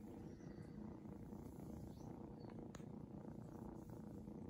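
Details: Steady rumbling purr from Shadow, a seal point Ragdoll kitten enjoying pats, low and evenly pulsed, with a single faint click partway through.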